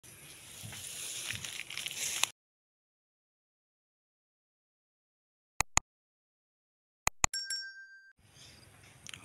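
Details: Bursts of broadband rustling noise, silent gaps and a few sharp metallic clinks and a short ringing tone, with no animal voice.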